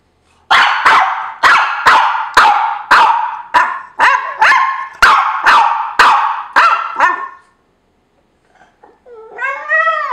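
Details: Judah, a dog, complaining, probably because another dog called The Dude is sleeping in his spot; a fast run of about fourteen loud, sharp barks in seven seconds, a pause, then a rising whining howl.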